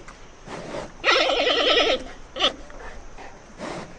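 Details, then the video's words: Panda bear giving a loud, quavering bleat of nearly a second with a rapid vibrato, followed by a brief sharp yelp and softer breathy sounds. "sound of panda bear - voice of animal"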